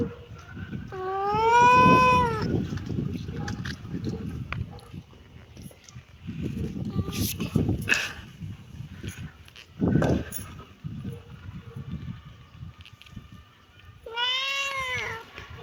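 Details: Kitten meowing: a rising-then-falling meow near the start and another near the end, separated by shuffling, knocking and faint handling noises.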